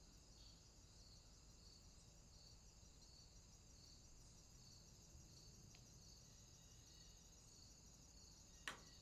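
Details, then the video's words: Crickets calling at night in a swamp: a steady, high, thin chorus of continuous ringing trills in two bands, gently pulsing in volume, over a soft hiss of background noise, with one brief sharp click near the end. "Crickets, swamp sounds at night"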